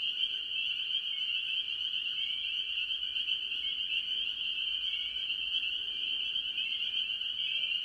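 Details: Spring peepers calling with other tree frogs from a farm pond early in the year; a dense, unbroken wall of shrill high peeps overlaps into a steady ringing chorus, with fainter lower trills beneath throughout.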